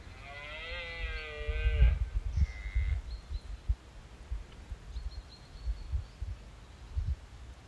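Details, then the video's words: Red deer during the rut on Exmoor, 2023, with a dominant stag holding hinds at first light as a smaller stag and prickets mob him; one harmonic, slightly falling call of about a second, followed by low wind rumble and faint thumps. "RED DEER RUT EXMOOR 2023"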